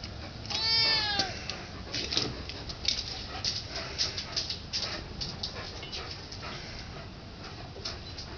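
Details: Junior the domestic cat begging for turkey gives one short rising-falling meow near the start, followed by several seconds of soft clicks and rustling over a constant background hum.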